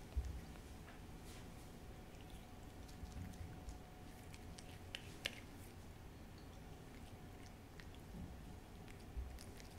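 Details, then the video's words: Cat named Hodu, a keen eater, licking and chewing a Churu treat in a small room for ASMR. Quiet sticky clicks and mouth smacks come in loose bursts, a few louder snaps near the start and end, over low hum. "cat ASMR★호두의 츄르 ASMR★ciaoちゅ~る"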